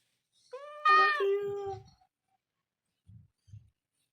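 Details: Pet cat ill with recurring chronic kidney disease and blood in its urine gives one loud drawn-out harmonic meow, rising then falling, as its owner rubs its belly indoors; soft low thumps follow.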